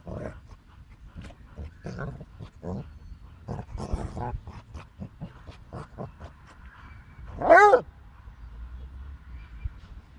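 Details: A Basset Hound and a Boxer tussle at play with soft thumps, snorts and rough growly noises. Then the Basset Hound gives a single short, full-throated, ringing howl, used to get the other dog to play.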